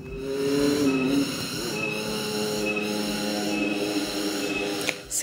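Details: Cicadas near quiet rice fields on Bali, Indonesia, whose loud rhythmic chorus is likened to a car alarm and starts at a certain hour each day; sustained tonal whine pulsing in roughly one-second swells, with a brief voice-like tone at the start.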